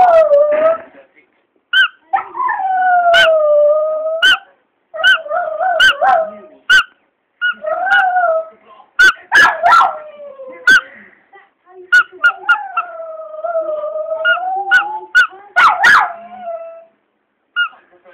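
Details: A pet Border Terrier howling at its owner squeaking his toy: drawn-out wavering howls that slide down and level off, broken by sharp high squeaks of the toy repeated throughout, with short pauses between howling bouts.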